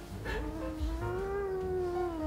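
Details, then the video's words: Pet cat annoyed while having its claws clipped, giving one drawn-out, slightly wavering whine-like meow lasting about two seconds, with a low hum in the background. "귀엽게 짜증내는 고양이 모음"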